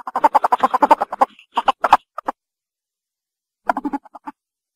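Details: Ferret giving a fast run of short, harsh clucking bursts, about ten in quick succession, then a pause and a few more scattered clucks.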